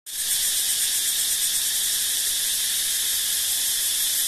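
A forest insect makes a steady, high-pitched, shimmering buzz that holds without a break.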